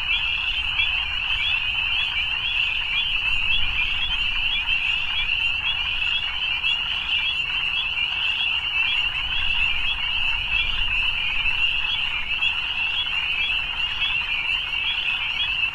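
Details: Many frogs calling at evening, their shrill pulsing trills merging into a constant high band of sound that never pauses, above a quiet low hum.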